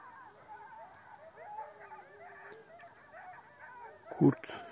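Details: A gray wolf pack of about 10–12 animals in the Taurus Mountains, Turkey, howls in chorus right beside a tent: several wavering, sliding voices overlap in a mid-pitched chorus, heard from very close.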